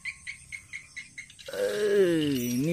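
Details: Right after catching a rat in a rice field, Tiger the cat lets out a long, wavering meow lasting over a second. It follows a run of steady, evenly spaced insect chirps.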